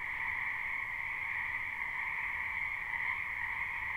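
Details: Spring wetland frogs in a live, unlooped recording: an unbroken, massed croaking chorus, steady and shimmering, with a strong high band over a softer lower one and no other clear sounds.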